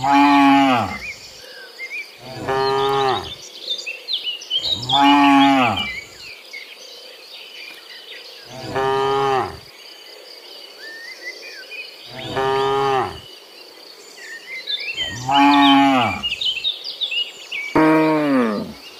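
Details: In the morning, cows returning from the field to the barn moo repeatedly, long harmonic bellows every couple of seconds over a steady insect buzz.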